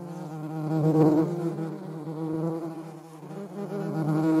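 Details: Close, continuous low wing buzz of a European hornet, filmed with a median wasp, a harmonic-rich drone swelling and easing in loudness over the whole stretch.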